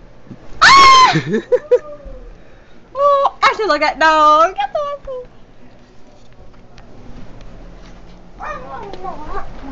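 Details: Pet dog making 'talking' sounds indoors: three bursts of wavering, whining howls that rise and fall in pitch like speech, the first high and sharp, the middle one longer and warbling, separated by quiet pauses.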